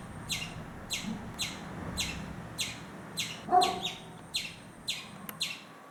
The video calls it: afraid squirrel making sound